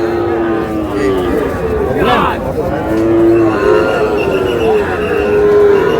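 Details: Sahiwal bull calves at a cattle market, bought by a farmer from Moulvibazar on 15 June: a low, harmonic bellow swells and falls midway, with steadier droning calls later, over constant market chatter and voices.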